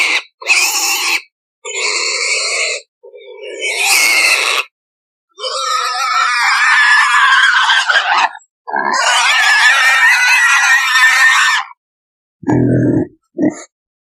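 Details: Pigs in a sound-effect recording: bursts of harsh, noisy squealing, some short and clipped, others drawn out for several seconds with rasping overtones, separated by silent gaps, ending with a couple of brief low grunts.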